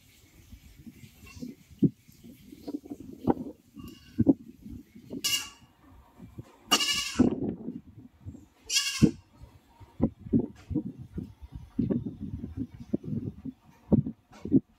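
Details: Goat bleating: three loud, harsh, wavering bleats with rich stacked harmonics, spaced a couple of seconds apart mid-clip, over constant low rustling and chewing-like shuffling noise.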